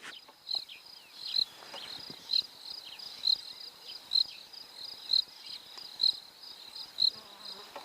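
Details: Crickets in the background on an early morning safari drive, Christmas Day 2021, Pridelands Conservancy, Greater Kruger National Park, South Africa; short high chirps repeated about once a second, eight in all, over faint hiss.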